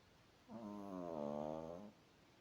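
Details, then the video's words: A sleeping Chihuahua named Izya snores once, a drawn-out droning breath of about a second and a half with stacked buzzy tones, rising slightly in the middle before fading, against a quiet background. "Ізя хропе | Изя храпит"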